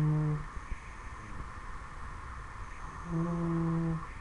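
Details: Ten-week-old Dobermann pup snoring in its sleep indoors: a humming snore trails off at the start, then quiet hiss, then another low, even, droning snore lasting about a second near the end.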